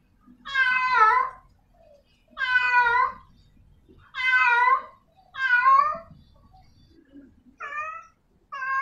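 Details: Domestic cat, a female in heat calling to attract a male, gives six drawn-out, harmonic-rich meowing wails. Each lasts about a second, rises then falls, and comes roughly every one to two seconds. Faint low rumbling sits underneath.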